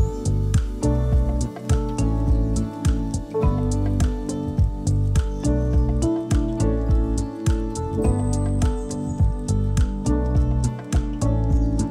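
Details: Gentle guitar-led instrumental music with steadily plucked notes and sustained tones throughout, and no animal voice anywhere.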